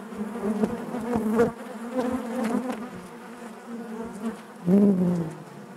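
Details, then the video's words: Inside a honey bee hive, a continuous low droning hum of many bees, with a louder, closer buzz rising near the end before settling back into the steady background drone. "bees therapy hive natural buzzing sound"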